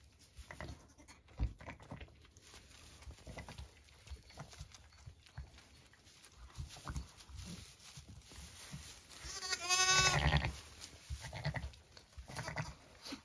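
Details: Zwartbles ewe with two newborn ram lambs, born at 6am on a farm in County Kilkenny, Ireland. Soft, low grunting mutterings come in scattered pulses, then a loud, wavering, high bleat rings out near the end, followed by more low murmurs.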